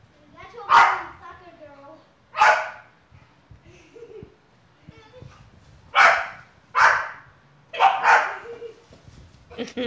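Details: A female Bulldog playing soccer with a boy in a backyard gives short, sharp barks in separate bursts, about six over ten seconds, with quiet gaps between and faint human voices.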